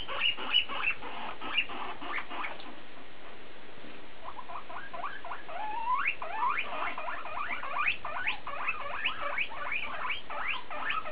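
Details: Guinea pig named BooBoo talking: rapid series of short chirping, squeaky calls with rising and falling sweeps, clustered bursts many per second, loudest in the second half.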